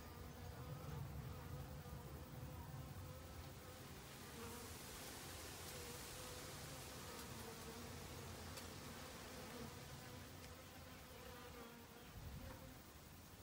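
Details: Honey bees working in autumn to gather food before winter, a steady humming drone overlaid midway by a broad hiss, possibly wind, before easing back to the plain buzz.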